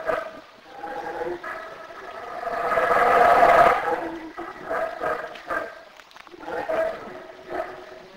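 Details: Black howler monkey howl in Belize: a deep, swelling roar that builds to a loud peak around the middle, followed by shorter grunting pulses.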